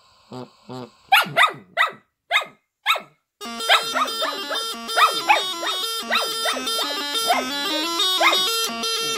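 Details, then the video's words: Female Shetland Sheepdog singing, loud and off key, with her owner's silly music: a string of sharp, rising yelps alone, then a droning bagpipe-like tune starts and her yelps continue over it. "Shetland Sheepdog Sings"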